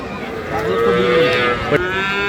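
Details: Improved-breed dairy cows and calves at Ambari cattle market, Dinajpur, Bangladesh, on 15 September 2025: one long, drawn-out moo with steady, even harmonics holding for about a second and a half, then easing off, over a murmur of market voices.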